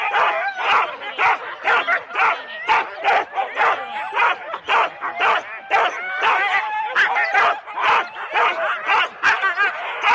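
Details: At the Rendlesham start in January 2016, several four-dog Husky teams bark non-stop, recorded on analogue cassette; rapid, uneven barks and squealing yips pile over each other, roughly two each second.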